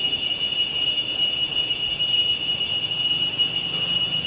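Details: Cicadas singing loudly at dawn or dusk: a steady, shrill, unbroken buzzing drone with two bright sustained tones, holding an even level throughout with no pauses.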